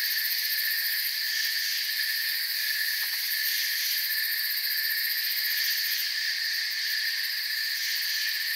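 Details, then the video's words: Crickets chirping in a forest: a dense, steady, high shimmering chorus of many overlapping trills that never pauses, with a faint pulsing buzz at the top and one brief soft tick near the middle. "Forest Sounds and Crickets"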